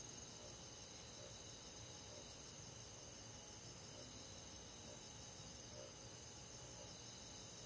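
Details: A summer-night forest chorus of crickets and other insects: a continuous high, silvery trilling wash from many callers. Faint soft ticks recur roughly once a second over a low, hissing background.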